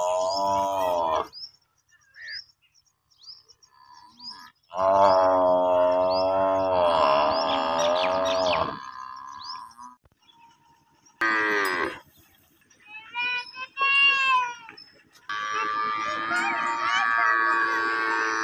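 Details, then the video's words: Baby water buffalo crying to its mother as it drinks her milk at a house. Drawn-out wavering moans come in three bursts, the middle one longest at about four seconds, with small bird chirps scattered throughout. "new baby buffalo sound"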